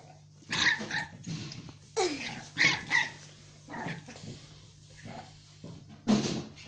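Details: Jack Russell Terrier barking: about six sharp, harsh barks come in separate bursts at irregular gaps, each loud and brief, with quiet pauses between and a steady low hum underneath.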